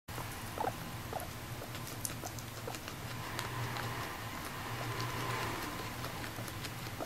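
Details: Female pet guinea pig named Moru-chan, adopted at a year and a half, munching grass indoors; rapid dry crunching and patter dominate, with a low rumbling chutter pulsing underneath and a faint squeak near the start.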